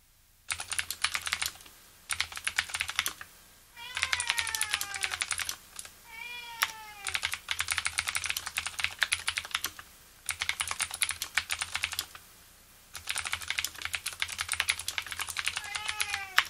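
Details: Domestic cat giving a few short, rising-then-falling meows, three separate calls, heard over steady clicky mechanical keyboard typing that fills most of the recording.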